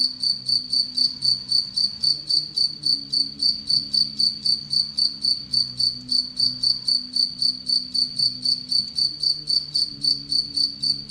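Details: Caged Anadrymadusa retowskii bush-cricket, kept with Egyptian locust prey, chirps in a regular, piercing high series of short pulses, almost four per second, over a faint low hum.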